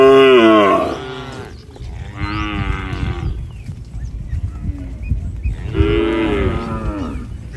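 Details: Tame cattle herd in a village, calling to each other while walking home to the shed: three long harmonic moos, a loud one at the start, a softer one near two seconds, another around six seconds, with low rumbling background.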